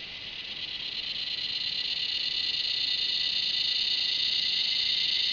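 A cicada gives a continuous, shrill, high-pitched buzzing drone that slowly swells in loudness.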